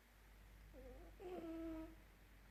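A Dachshund puppy snores with thin, whistling squeaks on each breath in a quiet room.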